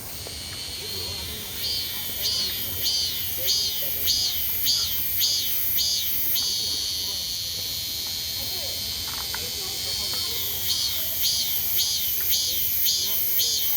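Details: Cicada on a summer day, a shrill, high buzzing pulsed in regular bursts about every half second, steady background drone, a pause midway before the pulsing resumes.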